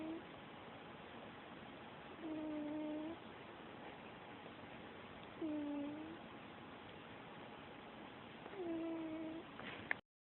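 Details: Sleeping pet cat snoring: three drawn-out, nasal, low-pitched breaths with faint overtones, arriving about every three seconds, separated by quiet background hiss.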